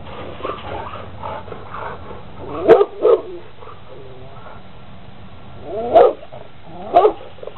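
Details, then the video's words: Big Rottweiler jumping on a fence and running back and forth, barking: low grumbling sounds, then a pair of sharp, loud barks, a quiet gap of about three seconds, and two more single barks about a second apart. "Insane Rottweiler 2 Running In Circles Jumping On Fence big dog barking growling runs back and forth"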